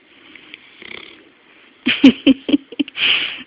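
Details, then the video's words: Bloodhound asleep and snoring up close: quiet raspy breaths, then a run of short, rough snorting bursts, each with a low buzzy tone, ending in a longer hissing exhale. "Snoring Bloodhound"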